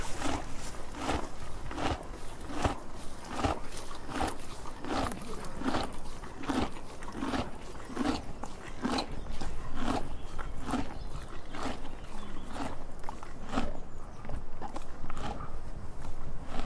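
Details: Donkey (Equus asinus), chewing.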